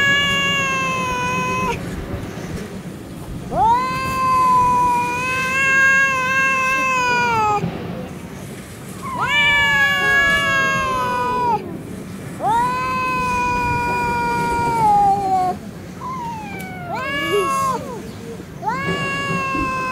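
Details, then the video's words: Stray cats fighting on a city street in Russia: long drawn-out yowls, wavering and sliding, several seconds each, rising and falling in overlapping bursts with short gaps, steady low background hum. "fight cats, драка котов"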